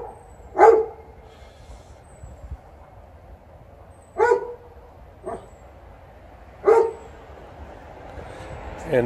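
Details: Household dog TJ keeps up complaining barks, wanting to fetch, as poplar fluff blows about; three crisp single barks spaced roughly three seconds apart, with a person talking in between and a final half-heard yip.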